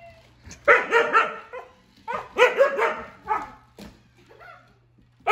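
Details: Pet Siberian husky indoors reacting to a toy robot; three loud, rough, wavering howl-like bursts, each about a second long, with short quieter yelps between them and a sharp click at the end.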